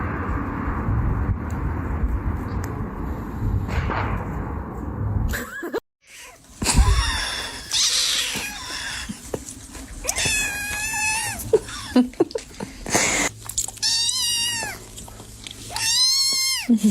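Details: Domestic cats from a funny compilation. Several drawn-out, wavering meows come late in the stretch, after rustling, thuds and a sudden cut. Steady low hum and handling noise run beneath.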